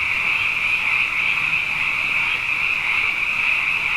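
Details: Frogs abundant after two wet years sing together at night, their countless overlapping high croaks fused into a constant buzzing trill, slightly wavering in intensity, no other animals or noises heard.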